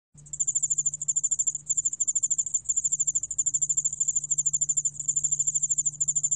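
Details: Dianemobius furumagiensis ground cricket singing: a continuous, very high, rapidly pulsed trill, briefly broken every second or so, with a faint lower echo of the pulses and a steady low electrical hum underneath.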